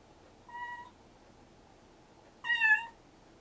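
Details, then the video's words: Two meows from rescued stray kitten siblings calling to each other: a soft, short, steady first meow, then after a two-second pause a louder, brighter, rich-harmonic meow. "野良猫ちゃん兄妹保護 デュオかな？会話かな？"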